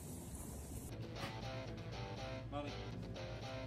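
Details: Strummed guitar music with faint speech underneath, and no animal sound.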